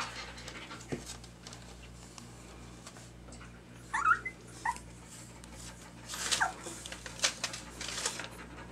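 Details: Two-week-old puppies indoors, eyes just starting to open and beginning to walk, roused from sleep when the light went on: brief high squeaky whimpers near four and six seconds, with soft panting, rustling and shuffling between them.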